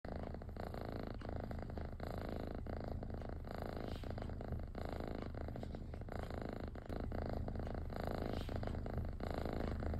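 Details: Kitten purring while being scratched, which it enjoys: a steady, close, rumbling purr that continues without a break.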